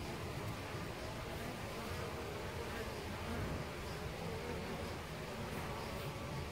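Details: European honey bees nesting in a hole in a tree trunk at the Costanera Sur Ecological Reserve, recorded from ten centimetres away; a steady, dense, low buzzing hum from many bees fills the whole stretch without pause.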